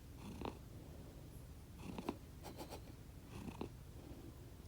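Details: Sleeping pet cat, either Konbu or Myun, two rescued siblings raised from kittenhood, snoring in a small room; low continuous rumble with soft raspy snuffles recurring roughly every one and a half seconds, plus faint rustling.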